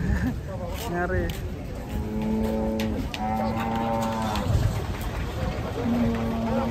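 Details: A giant, rare cow being unloaded from a truck gives several long, low, droning moos with rich harmonics, each lasting about a second, over background music, people talking and vehicle noise.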